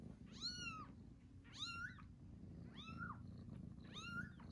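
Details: Newborn kittens giving four evenly spaced high-pitched mews, each a rising-then-falling arch rich in overtones, about one per second, over a low continuous rumble.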